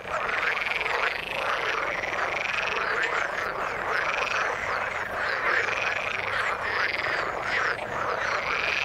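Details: A frog chorus from the water: many overlapping rolling, warbled calls blend into a continuous wall of sound, with brighter upper notes rising and falling without pause.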